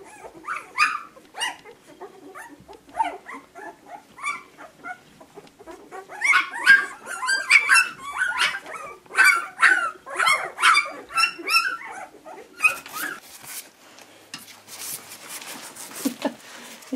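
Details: Puppies giving scattered high yips that build into a dense run of rapid whimpering cries in the middle, then fade into rustling and handling noise.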